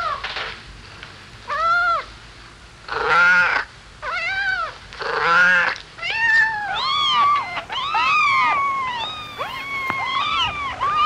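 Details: Kittens meowing while playing on farm grass among dogs, rabbits, cows and mice: a run of arched, wavering meows, several loud and drawn out, then quicker overlapping mews toward the end.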